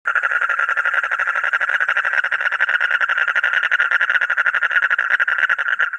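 A frog gives a steady, fast-pulsed rattling trill that carries on without a break.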